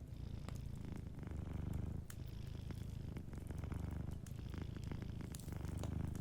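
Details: Soft, low purr of a cat asleep by the fire, continuous throaty vibration swelling with each breath, light crackling of burning wood behind it.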